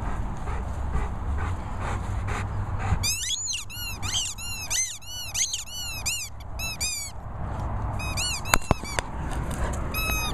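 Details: Bernese Mountain Dog whining for sweets: after a few seconds of low rumbling background, a run of high, squeaky, arched whines comes in quick bursts, followed by a few sharp clicks and more thin squeals near the end.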